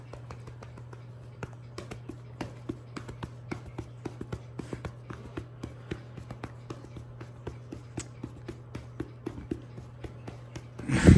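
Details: Steady light tapping and patting on a cat's body at an uneven beat over a low electrical hum indoors, ending in a brief loud rustling burst; no animal voice is heard.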